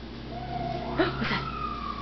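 A Papillon dog gives a drawn-out, wavering howl while an ambulance siren wails.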